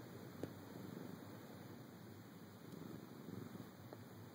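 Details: Male cat woken from a nap in a dark bedroom, purring: a soft, steady, low continuous rumble beneath constant background hiss.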